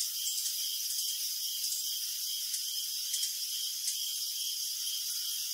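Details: Crickets at night sing in a thick unbroken high trill, with a pulsing chirp band below and several short crisp clicks standing out around the middle seconds.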